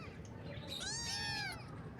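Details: Morning meow from a baby kitten: a single drawn-out, rising-then-falling cry lasting nearly a second over low background hum.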